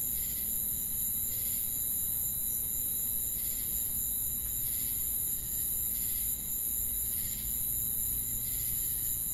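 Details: Crickets chirping at night in the forest: regular bursts of high, buzzy pulses recur every one to two seconds above an unbroken thin trill and a deep rumbling background.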